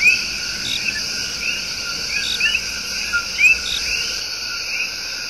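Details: Coqui tree frogs singing their love song in Puerto Rico's El Yunque Rainforest: short low notes each followed by a quick rising whistled sweep, repeated by several frogs at once over a steady high insect hum.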